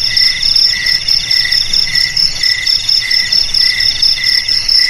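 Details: Chirping crickets presented as a rat repellent for home, garage, storeroom and rice field; sharp high pulses in rhythmic bursts over a constant shrill trill, loudness rising and falling in quick waves.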